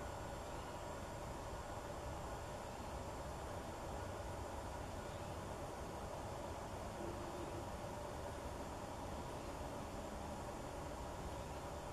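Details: Steady broadband rumble and hiss, like distant traffic or machinery, with no animal calls heard.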